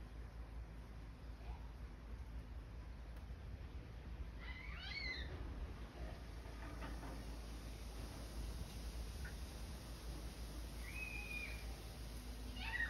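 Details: Male rescue cat giving faint meows, a couple of short rising-and-falling calls mid-clip and another near the end, heard over a steady low rumble of background noise.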